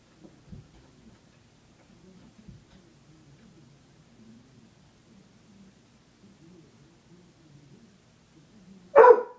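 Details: Old female pet dog stuck on a chair she jumped onto indoors, barking for someone to help her down: low indoor murmur, then one loud, sharp bark near the end.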